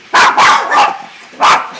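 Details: Male Jack Russell Terrier, about 13 years old, barking in the background beside a pool while a second dog is also present: four sharp, loud barks in quick succession, the last one set apart after a short pause.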